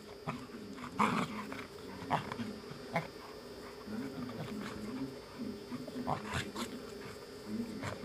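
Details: Two dogs, the Malinois Zabó and the American Staffordshire Terrier Chefrem, romping together in a garden; short bursts of growling and huffing play noises come in clusters a second or so apart over a steady background hum.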